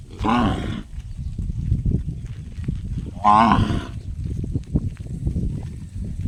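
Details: Cow producing a funny call that sounds like a gong: two loud, bright, ringing harmonic bursts about three seconds apart, with low rumbling and scattered knocks between them.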